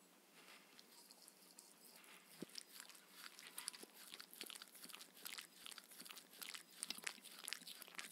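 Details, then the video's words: Steady crunching and biting from Mindy, a Shetland Sheepdog, working through her evening raw kangaroo meal with coconut oil indoors; dense crisp crunches quicken and grow louder toward the end. "Dog eating sounds"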